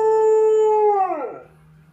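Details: A roughly 3-year-old Alaskan Malamute gives a steady, tonal howl that holds its pitch, then slides down and fades.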